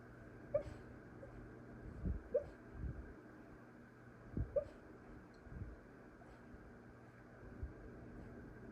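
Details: Siberian Husky (Canis lupus familiaris), whimper.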